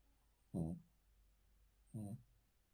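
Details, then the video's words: Sleeping male Cavalier King Charles Spaniel lying on the floor inside, giving two short, low, grumbling snores about one and a half seconds apart in a quiet room. "Cavalier King Charles Spaniel Snoring"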